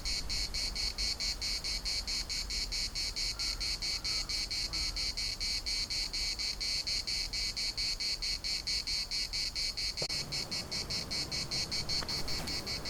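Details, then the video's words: Cicadas singing in the municipal park of Larnaca, Cyprus, a dense high buzzing chorus pulsing steadily about twice per second, with faint brief calls and low wind rumble beneath. "CICADAS at the municipal Park Larnaca"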